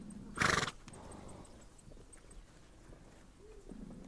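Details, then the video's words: On the steppe of Mongolia, a horse gives one sharp, loud snort near the start, followed by quiet low rustling and faint movement sounds. "Relax listening to the sound of horses"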